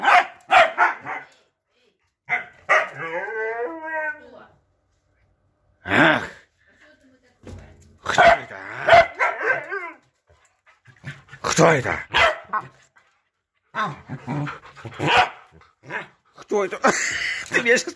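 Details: A husky named Hunter, being taught to bark at a corgi party, gives wavering, whiny yowls and sharp barks, with other dogs barking, people talking and laughing, and music.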